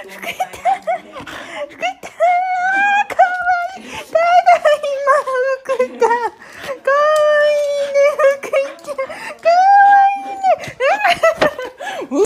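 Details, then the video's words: Shiba Inu Fuku in an excited, noisy welcome for its returning owner: a string of sustained, slightly wavering whines and yelps mixed with people's voices and laughter indoors. "柴犬福 盛大すぎるお出迎え柴犬"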